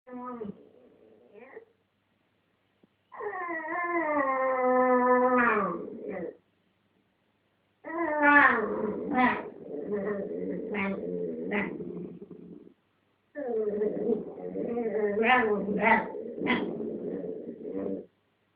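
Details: Two pet dogs fighting indoors over a dog chew, one holding it between her paws while the other wants it; long harmonic whining moans, some rising then falling, broken by short barky yips, in bursts separated by silences.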